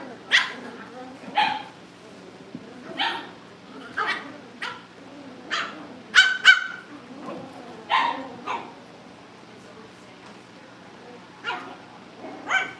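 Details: Cavalier King Charles Spaniel puppies in a family home before pick-up day give short, sharp barks and yaps in irregular bursts, roughly one every second or two, a few doubled, against a quiet indoor background.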